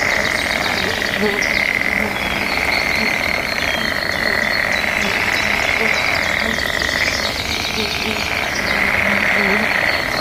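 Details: A mating-season frog chorus with frogs answering one another outdoors: a continuous, buzzy, high trilling wall of sound holds steady throughout, with faint scattered chirps and whistles layered on top.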